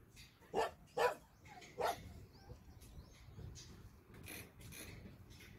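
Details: Shelter dogs on a Sunday volunteer visit: three loud, sharp barks in quick succession, then fainter distant barks from other dogs over a murmuring background.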